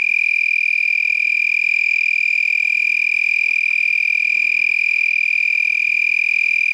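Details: Lacewing vibrating its raised wings at night in San Marcos, Texas, 8 November 2021, one of several nearby. An unbroken, piercing, even buzz holds a constant high pitch throughout, resembling a tree frog's trill, with faint background hiss.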